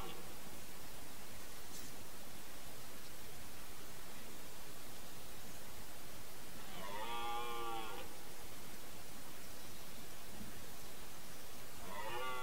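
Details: Wild boar (Sus scrofa) give two brief, harmonic, wavering squeals over a steady hiss of background noise.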